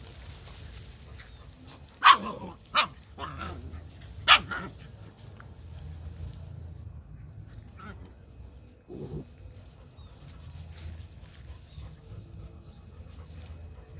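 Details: Male dog, described as running, gives three sharp, loud barks within about two seconds, then a lower, muffled single bark a few seconds later, over a steady low rumble of background noise.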